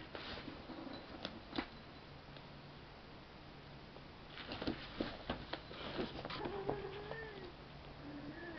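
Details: Alfie, a seven-week-old kitten playing with his new toy indoors, gives a few soft, short, arching meows in the second half, amid frequent clicking, tapping and rustling from the play.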